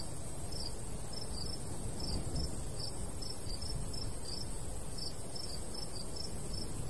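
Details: Summer countryside crickets near a golden wheat field in a light breeze, giving thin, high chirps in a regular, slightly uneven rhythm over a strong, low breezy rumble.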